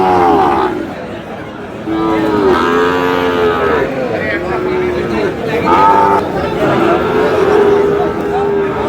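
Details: Sahiwal bull calves for sale at Aftabganj cattle market, Dinajpur, Bangladesh, 25 July: a series of short and longer moos from several calves, some overlapping, under busy haggling voices and crowd noise.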